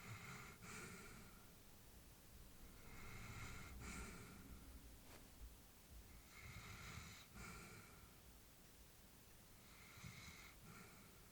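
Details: Sleeping elderly female Labrador Retriever indoors, slow rhythmic breaths with breathy hiss and low snoring rumble, four breaths spaced about three seconds apart, quiet room.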